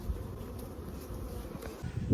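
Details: Captured honey bee swarm with its queen present, filling the recording with a dense, low, continuous humming drone and a few soft handling thumps.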